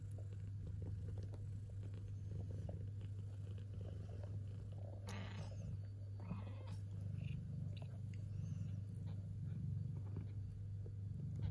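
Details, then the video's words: Contented purring from a kitten as it eats, a continuous low rumble throughout. Wet chewing and biting noises come and go, with a brief scraping burst near the middle. "Watch How They Eat and Purr!"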